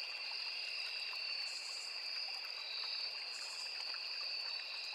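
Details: Crickets chorus in a forest beside a small river: two steady, continuous high-pitched trills layered together, with brief higher buzzy bursts near 1.5 and 3.5 seconds over a soft trickling stream.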